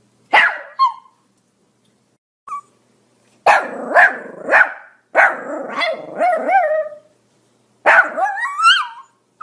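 A Pomeranian gives sharp, high-pitched barks in quick bursts, some stretching into whiny, wavering yelps.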